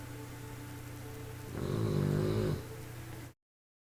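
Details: A 3-month-old bulldog puppy gives a single low, rattling snore over a steady background hum.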